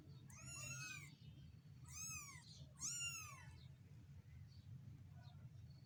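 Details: One-week-old stray kittens meowing: three loud, high, arching mews in quick succession, each rising then falling, followed by fainter distant squeaks over a steady low hum.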